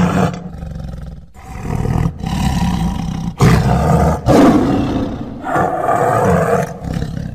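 A tiger gives a series of deep, rasping roars and throaty growls, rough and booming in the low register.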